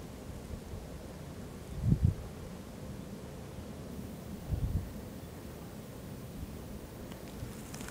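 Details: A fallow deer buck gives deep, belching rutting groans in October, two short bursts a few seconds apart, during the rut when bucks groan and fight to win as many females as possible.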